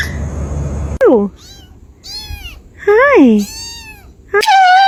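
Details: Domestic cats in a compilation of meowing, asking for food or attention: several loud harmonic meows, one falling sharply, one rising then falling, and a final sustained high meow, with quiet gaps and faint background noise between.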